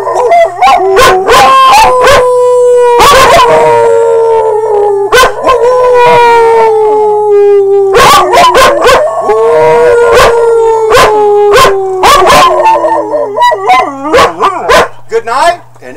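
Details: Pet dogs howling together for a holiday song: long, sustained, gently falling wails overlap with rapid yips and short barks, repeated in loud waves.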